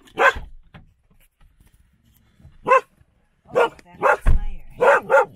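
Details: Standard poodles from a family in Ketchum, Sun Valley, Idaho, at home: a single sharp bark, a pause of about two seconds, then a quick run of five loud barks near the end, with faint voices between.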